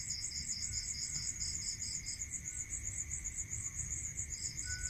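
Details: Rural night crickets: shrill fast-pulsed chirring without pause, overlapped for the first two seconds by a lower, bead-like trill that returns briefly at the end, over a faint steady whine and low background rumble.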